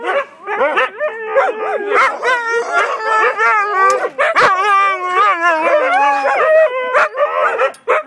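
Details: Siberian Huskies in a loud chorus of howls and whines, with long sustained wavering tones layered over quick yips and a gradually descending howl, while the voices overlap continuously.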